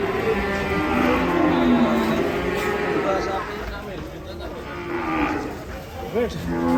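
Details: Agitated, raging cattle lowing loudly: a long harmonic moo fills the first three seconds, then quieter, rougher lowing follows, ending with a short rising bellow near the close.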